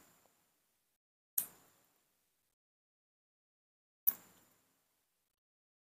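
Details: Near silence broken by two sharp knocks or clicks, with no animal voice.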